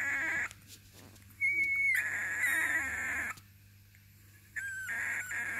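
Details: Basenji puppies from a litter: high, thin squealing whines, one drawn out and steady, separated by quiet gaps, with a steady low hum underneath.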